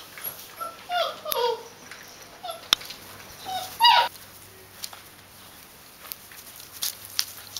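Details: Puppies from a D litter, 31 days old, giving thin, high whimpers that slide downward in pitch, one near the start and a second, louder one midway, with sharp clicks and light tapping between them.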